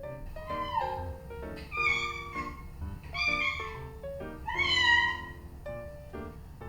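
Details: Domestic cat meows played back to the household's female cats, a prick-eared Scottish Fold and a long-legged Munchkin, during their gathering: four drawn-out, arched, nasal meows about a second apart, with soft piano music underneath.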